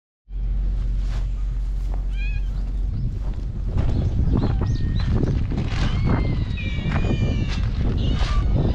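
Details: Feral cats on a cat island (Nekojima) gathering for breakfast, filmed with a GoPro HERO8: several overlapping meows, some rising then falling, from more than one cat, over a constant low rumble of wind or handling noise.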